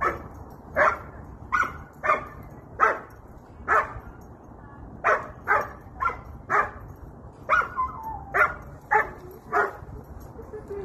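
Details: Joyful German Shepherd meeting friends outdoors at a playground, barking steadily: about thirteen loud, clipped barks roughly one every second, a few trailing into a falling whine, over low background hum.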